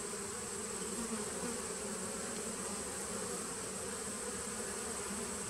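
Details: Honey bee nucleus colony dating from 2017, recorded 19 September 2018, giving a thick continuous buzz, low-pitched droning with bright hiss above, no pauses or breaks.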